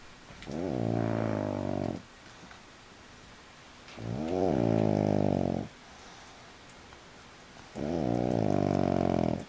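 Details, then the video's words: Sleeping pug lying on his back, legs in the air, gives three long grating snores, each near two seconds, spaced about three seconds apart, rough and droning with a slight rising start. "The Snoring Pug"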